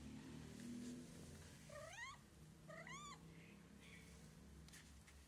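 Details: White stray cat on the street giving two short meows about a second apart, each rising then falling in pitch with strong overtones, over a steady low background hum.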